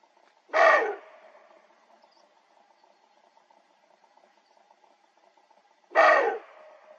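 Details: Warning barks of an older male roe deer proclaiming his claim over the hillsides of a Dzungarian Alatau gorge in autumn while a younger rival listens: two harsh, coarse barks roughly five seconds apart, with a soft steady hum between.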